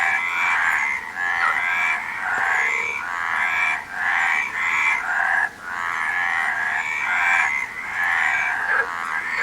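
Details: Frogs croaking in a dense chorus, raspy pulsed calls overlapping in near-continuous bursts about a second long, with scarcely any quiet between them and no other clear sounds.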